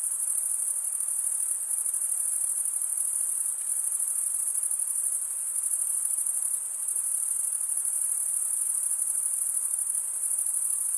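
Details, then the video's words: Male crickets stridulating with comb-like wing veins. Their sound is an unbroken, piercing high trill with a slight rapid flutter, holding steady from start to finish over a quiet background. "Most relaxing cricket sound for 8 hours"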